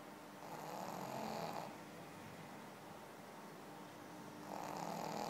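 A Pekingese snores in slow, raspy breaths, each a broad rattling rumble with a quiet pause between.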